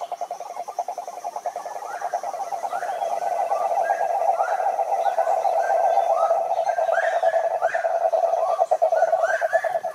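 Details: Wild cane toads (Rhinella marina) at a Brazilian Atlantic forest lake keep up a continuous low pulsed trill, while higher, short rising calls repeat over it from other callers.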